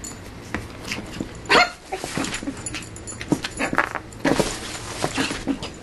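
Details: An excited Shih Tzu puppy called Yogi bounces around her playpen like a trampoline, with one short shrill yip amid repeated thuds and scuffling from the pen.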